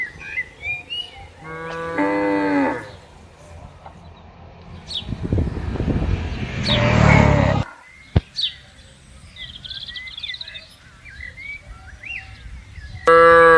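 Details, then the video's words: Tame herd cattle grazing in a green field in the morning, open countryside: one clear drawn-out moo early on, then a loud rustling burst, a sharp click, background bird chirps, and another moo starting at the very end. "Suara Sapi Lembu Menggema di Ladang"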